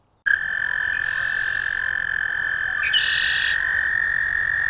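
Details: American toad sounding a continuous high musical trill that starts abruptly and holds steady, with a second fainter trilling voice joining briefly near the end.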